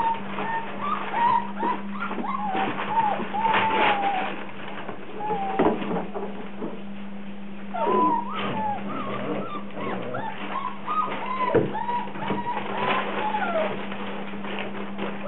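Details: Rhodesian Ridgeback puppies in a frenzy: a litter of high, slurred whines and squeals, many overlapping, bending up and down, with short yelps between and a steady low hum underneath throughout.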